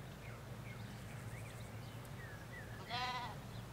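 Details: Short quavering bleat from a sheep among ewes and lambs in a Hampshire field, near the end, after thin bird chirps over a steady low road rumble.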